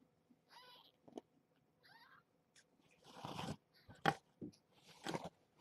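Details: Domestic kittens with their mother cat in a nest box at bedtime, the mother having a snack as the towel is changed: two short, wavering high mews about a second apart, followed by bursts of rustling and handling noise.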